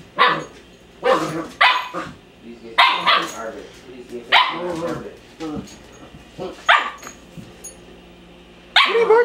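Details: Puppy barking at a mop indoors: short sharp yapping barks in bursts every second or so, with a man talking over them throughout.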